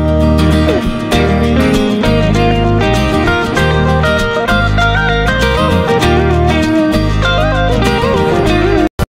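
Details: Loud, bright acoustic guitar music in a country style fills the recording, with plucked string runs and no animal voices.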